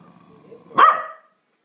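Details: Single sharp bark from a corgi angry at a vacuum cleaner, preceded by a faint low hum of the machine.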